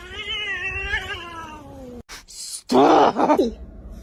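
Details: Kitten giving one long, drawn-out meow that slowly slides downward in pitch over about two seconds, then a short silence and a loud burst of human speech and laughter indoors.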